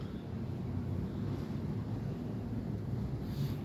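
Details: Heavy rain gives a steady low roaring wash with wind-like rumble throughout, and no animal calls.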